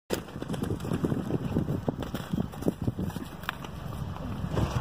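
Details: Gusty wind buffets the microphone in uneven low bursts, with no animal call standing out.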